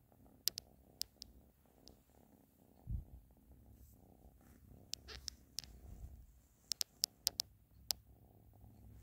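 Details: A cat named Ashley purring with a continuous low rhythmic rumble, overlaid by scattered sharp ticking clicks throughout.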